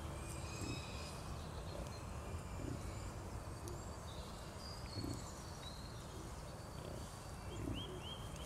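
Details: Captive wild boar (Sus scrofa) piglets suckling in Germany in January, with low, soft grunts repeated every second or two and birds chirping faintly above.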